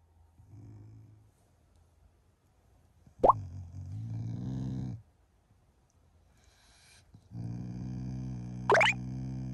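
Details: Shiba Inu, a family pet, growling in the morning as an affectionate display toward its owners rather than anger; two low, rumbling harmonic growls of about two seconds each, with sharp plopping knocks between them in a quiet indoor setting.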